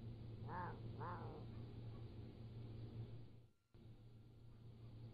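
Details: Young Pallas's cat kittens aged 3 to 7 weeks, recorded at a zoo with a motion-triggered trail camera: two short, rising-falling mews half a second apart, then only a constant low hum.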